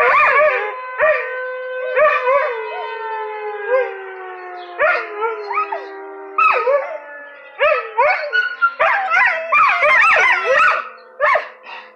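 A Vizsla sounds the alarm with sharp, ringing barks broken by drawn-out, falling howls.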